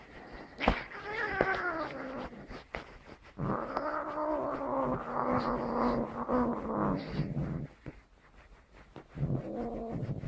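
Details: Angry cat giving long wavering, moaning yowls that bend up and down in pitch, broken by sharp clicks and knocks, with a short quieter yowl at the end.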